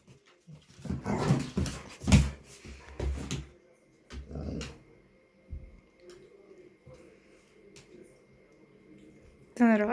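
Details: Indoor dogs, a chihuahua and a pit bull that became friends over nearly two weeks after the small dog was found, with rough growls and grumbling bursts in the first four seconds, then quieter sounds, a sharp high whine at the end, and a woman talking.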